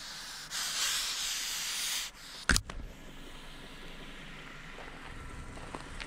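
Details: Disturbed common European adder (Vipera berus) on a forest path in Jämtland, Sweden, 2019, hisses in one steady, breathy burst of about one and a half seconds, followed by a sharp click and handling noises.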